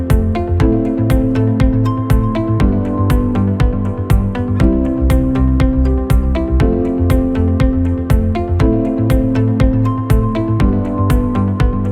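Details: Only electronic music plays, a regular beat under layered synthesizer chords. No howling or other animal sound comes through.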